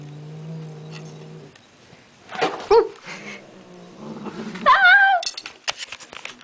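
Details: Toy-guarding female cat refusing to give up her toy: a low growl fades, then two harsh, rising yowls break out, the second wavering and drawn out, followed by scuffling and clicking sounds.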